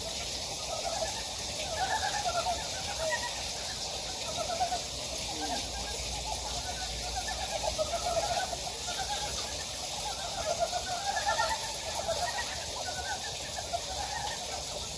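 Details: Frogs calling in a loose chorus in a valley stream on Gyejoksan, Daedeok-gu, Daejeon: short pulsed croaks repeating over the steady rush of the stream.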